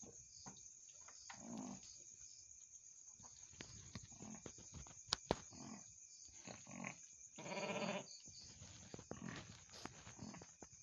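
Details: Mother goat shortly after giving birth to two kids; a couple of short, hoarse bleats, the longest near the end, between rustling and clicks, over a constant high-pitched whine.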